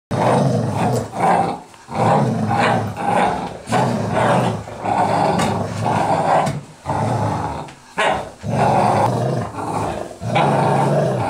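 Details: American Staffordshire Terrier and Golden Retriever in a play fight, growling throughout; rough, throaty growls in bursts of about one to two seconds, separated by brief breaks, roughly thirty per minute.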